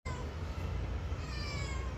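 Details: Responsive pet cat in a conversation with its owner: drawn-out harmonic meows near the start and again toward the end, over a steady low hum, with a woman speaking Telugu nearby.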